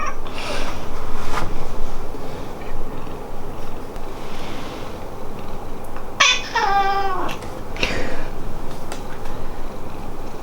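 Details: Pet cat at home meowing differently when greeting the parents versus the beloved daughter; a long, wavering, harmonic-rich meow that rises then falls, followed by a shorter meow about a second later, with softer sounds and quiet indoor room noise earlier.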